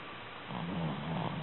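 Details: A soundly sleeping Shih Tzu lets out a low, buzzy snore that starts after a half-second pause and wavers slightly in pitch through the rest of the breath, over quiet background hiss.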